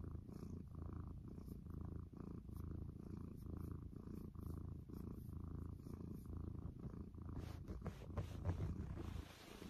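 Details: Close, low purring of a cat in the morning, a continuous rumble pulsing with each breath, ending with a few faint rustling sounds near the close.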